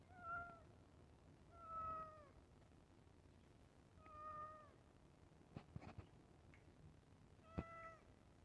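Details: Cat meowing for food at iftar time: four tonal, slightly downward-bending meows spread over several seconds, with soft knocks and a sharp tap between them indoors.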